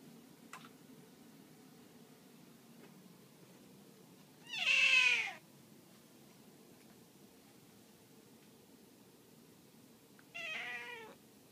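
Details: Cat hiding a drumstick from breakfast for later, uttering two separate meows several seconds apart; the first is loud and falling in pitch, the second shorter and softer, over faint room noise.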